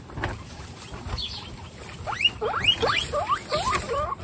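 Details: Baby guinea pigs at a first meeting, in a household keeping 29 guinea pigs plus the babies Snow, Pistachio and Pumpkin; a run of rising squeaky whistles repeated rapidly in the second half, over faint background noise.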